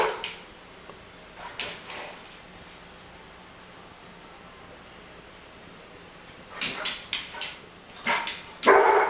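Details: German Shorthaired Pointer. Brief, sharp barks and yips from a German Shorthaired Pointer come in scattered bursts, growing louder toward the end. The dog barks this way when his food is too hot, with a person speaking faintly nearby.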